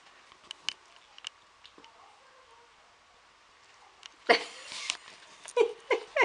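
A Siamese cat gives a few short, bending meow-like calls after a burst of rustling noise.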